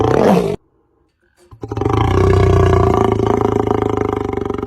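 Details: Lion (Panthera leo), roar.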